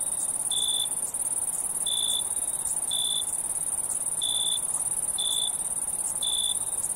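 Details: Night-time cricket giving six bright, clipped chirps roughly once a second, set against an unbroken high-pitched hiss of other insects.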